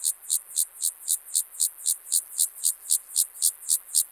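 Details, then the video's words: Gomphocerus sibiricus, the club-legged grasshopper, at Leogang in Austria, September 2023, producing an even chain of dry, scratchy pulses roughly four each second, about fifteen in a row, sharp and high with little else audible. "Gomphocerus sibiricus -- Sibirische Keulenschrecke -- Club-legged Grasshopper"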